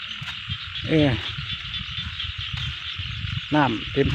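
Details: Frogs in a rice field give short, throaty croaks with a rasping quality over a steady high chorus of insects.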